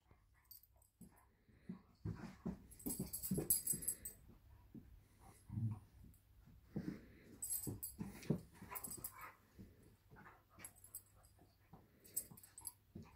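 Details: Irish Wolfhound puppy pestering her Labrador sister indoors: snuffling, wheezy huffs and soft whimpers in uneven bursts, with scuffling between the two dogs.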